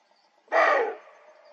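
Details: Older male roe deer in the autumn gorges of the Dzungarian Alatau mountains, after antler rattling, giving a fierce warning bark toward a younger male on the opposite slope: one harsh, hoarse, broadband bark about half a second long, then quiet.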